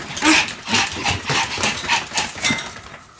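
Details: Pomeranian Sam barking during a fast spinning session of some 175 turns, 1 November 2015; short, high yaps pulsing about three times a second in a small room, fading at the close.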